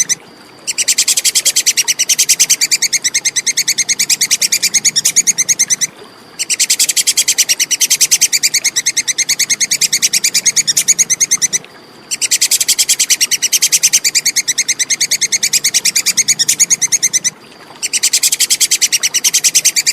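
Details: Plantain squirrel in a clean recording meant for teaching songbirds: four long runs of crisp, high, rapidly repeated clicks, each lasting about five seconds and separated by short gaps, with a quiet low hum throughout.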